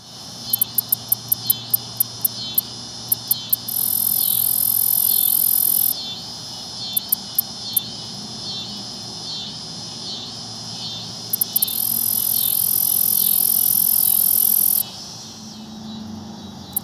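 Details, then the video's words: At sunset, a black-legged meadow katydid (Orchelimum nigripes) perched on a pickerelweed leaf at a pond in Houston, Texas, stridulates with quick high ticks that break into long, hissing buzzes. "Katydid makes some noise"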